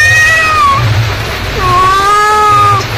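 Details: Mother cat calling her kittens: two long, loud, drawn-out meows, the first sliding down, the second rising then held steady before dropping off, over low background rumble.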